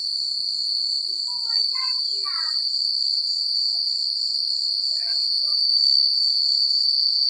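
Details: Crickets chirping at night in a secluded countryside, a steady high continuous trill with a fine pulsing texture throughout, while scattered short lower chirps from other animals rise and fall in brief clusters near the start and later.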